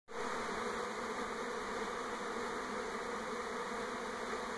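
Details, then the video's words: Honey bee swarm moving from an old to a new hive around a home in NE Portland, 2018: a dense, steady, continuous hum of many bees, strongest in low-middle tones, unbroken for the whole stretch. "Honey Bee Swarm in NE Portland 2018"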